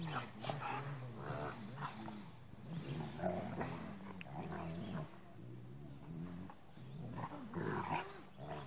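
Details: A big Rottweiler in a truck play-fights with a younger Rottweiler, growling low and rumbling, with throaty snarls rising and falling throughout.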